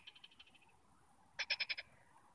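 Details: Frog chorus near Nantes, France: a faint series of quick ticking pulses, then a louder burst of five rapid rattling pulses lasting under half a second.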